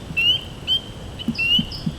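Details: Spring peepers at a small vernal pool in Michigan give high, clear, slightly rising peeps, several males overlapping in a chorus alongside chorus frogs; fast peeping means two males are too close in territory.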